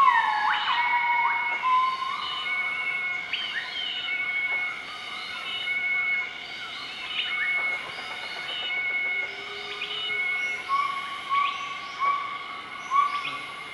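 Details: Southern white-cheeked gibbons, a group, duet at morning on 20 March 2014, Nakai-Nam Theun National Protected Area, Laos; sweeping whistles open, then a series of soft tonal notes, against constant buzzing insects.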